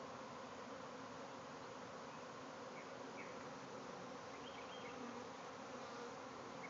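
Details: Bee swarm pouring out of a backyard hive, thousands of bees flying all around: a dense, unbroken droning hum fills the whole stretch, with a few faint bird chirps high above.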